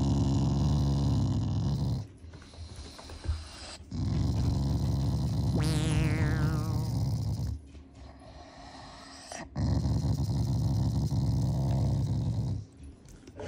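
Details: Shiba Inu dog growling in affection, not anger, toward its owners indoors; sustained low rumbling growls in long bouts separated by brief pauses, with a short sliding tone partway through.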